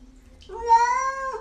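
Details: Domestic cat at home, part of a funny talking-cats compilation: a single drawn-out meow, steady then dipping slightly at the end, indoors in a small room, with a woman's soothing voice just before.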